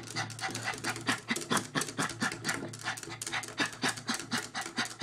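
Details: Maltese going wild at the sight of a squirrel outside the window, heard as quick, harsh, breathy huffs repeated about twice a second in a loose rhythm, with a steady low hum behind them.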